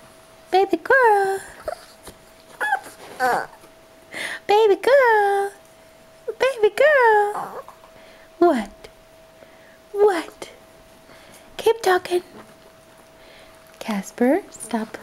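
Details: Dog whining and whimpering indoors in a small room, wanting to be picked up; repeated high, wavering whines rising and falling in short bursts, with a person talking to it between them.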